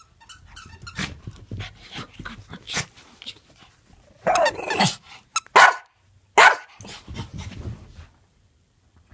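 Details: A Pekingese playing with a toy gives a few loud, harsh barks and growly yaps over soft rustling and clicking.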